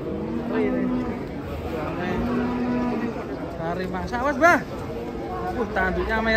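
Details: Several short, flat lowing calls repeat from cattle unloaded from a truck, with voices and a brief sharp outburst in the middle.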